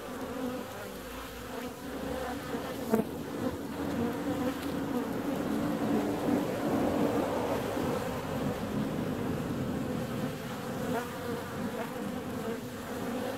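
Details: Honey bees leaving on a warm February day, their buzzing thickening into a dense, loud drone through the middle seconds, with brief close fly-bys and a sharp click near the third second.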